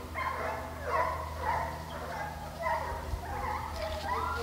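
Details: Hunting hounds in pursuit of deer, St Helena, South Carolina: loud, overlapping howling bays with rising and falling pitch, several dogs at once, over a deep steady engine rumble.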